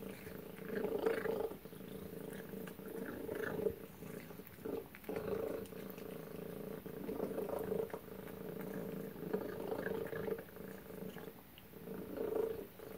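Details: Tacy the cat at her chicken and duck supper indoors; steady rumbling purr runs in breathing cycles with regular brief gaps, steady throughout, plus faint chewing taps in a quiet room.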